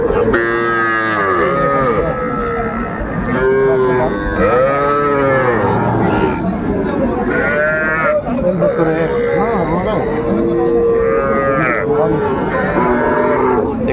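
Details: Young bulls and heifer calves at a cattle market in Mymensingh on 14 January 2025, where a farmer is buying the smallest calves. Many overlapping mid-pitched, arching moos rise and fall continuously under a busy background of traders' voices.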